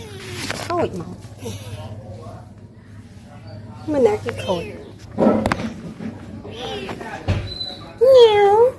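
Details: Pet cats playing with a woman at home give short mews, then a loud drawn-out meow near the end that rises and falls, while people talk in Khmer and handle objects in the background.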